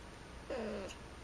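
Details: A female domestic cat, climbed up into a storage closet with the light switched on, answers with a short low wavering mew lasting under half a second while a person talks to her.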